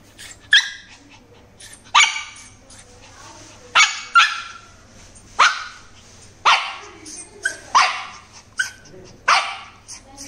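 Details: An angry Shih Tzu put in the naughty corner gives sharp, high yapping barks, repeated about every one and a half seconds.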